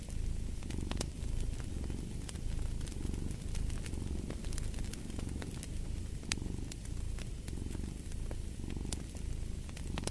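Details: Continuous low purr from a cat, rising and falling in regular pulses about once a second, with snapping fireplace crackles throughout.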